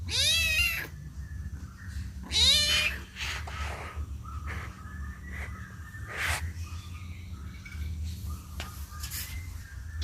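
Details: A kitten cries out for its mother with two loud, high, wavering meows in quick succession, followed by several fainter, shorter mews over a steady low background hum.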